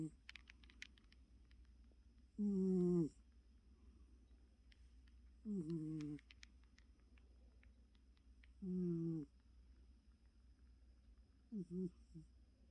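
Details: Choco, a pet cat, snoring while asleep and very tired indoors: low, rasping snores about every three seconds, each a short harsh drawn breath, with a faint steady hum underneath.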